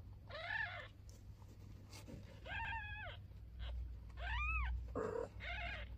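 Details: Newborn kitten and mother cat, first day of life; four drawn-out, high, arching mews spaced roughly a second apart, with a soft rumbling background between them.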